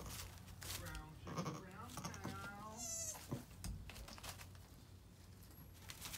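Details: Two-day-old Nigerian Dwarf goat twins give brief, quavering bleats, high and nasal with a tremulous wobble, overlapping in quick succession over a steady low hum, with a voice possibly faintly present.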